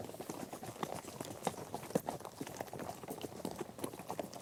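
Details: Horses in a herd on the move over mixed terrain of grass, dirt and gravel; dense, fairly quiet patter of many hooves with occasional louder knocks and a steady low rustle.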